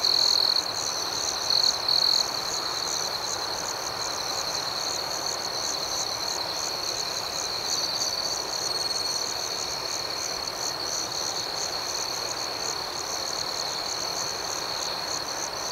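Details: Night cricket chorus with a continuous shrill trill and rapid rhythmic pulses above it. Two short louder bursts come in the first two seconds, then the chorus settles into an even, unbroken wash.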